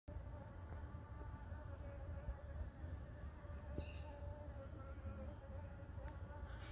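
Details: Blue-banded bee in a front yard, giving a steady, even hum with stacked overtones throughout, over a constant low rumble of background noise.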